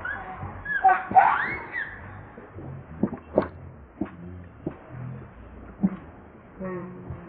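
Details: Baby monkey Leo, also called Rainbow, cries while begging its mother for milk: a short burst of high, wavering squeals early on, then scattered soft clicks and knocks with quiet background noise.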